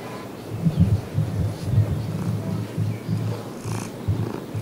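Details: A female calico cat, adopted as a kitten from a pet store in Kalihi, purrs with a low, steady, rhythmic rumble pulsing several times a second, with faint room noise.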